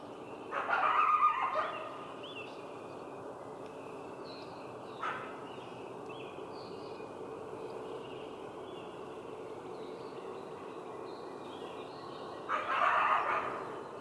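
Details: A coyote gives two harsh, short barks, one at the start and one near the end.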